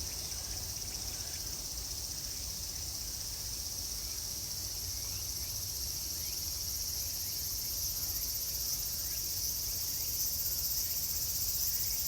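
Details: Cicadas calling at Meiji Jingu shrine in summer: a dense, unbroken high-pitched buzzing drone that holds steady throughout, with a faint low rumble of background noise beneath.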